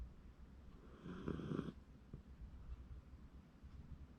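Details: A Shiba Inu asleep in January 2024 gives one rough, buzzy snore lasting under a second. Faint, soft breathing follows in a quiet room.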